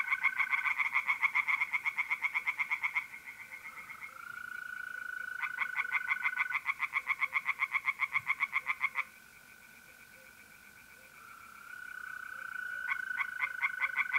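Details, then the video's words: Pond chorus of tree frogs on a mid-April night in North-East Italy: loud bouts of rapid, rasping croaks lasting several seconds, separated by quieter gaps filled with the even, ringing trill of mole crickets. "relaxing singing tree frogs in pond and trilling mole crickets by night"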